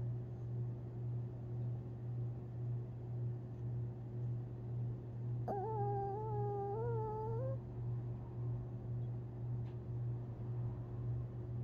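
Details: Long-haired Chihuahua Tinkerbell, asleep and dreaming, April 17, 2021: about two seconds of high, wavering whine with rich overtones, slightly rising. A steady low droning hum runs throughout.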